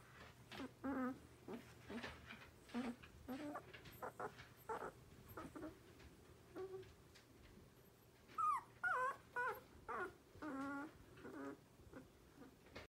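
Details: Twelve-day-old Borzoi puppy giving short squeaky whimpers and thin wavering whines, bursts spaced irregularly with a few rising-falling squeals near the end, faint steady hum behind.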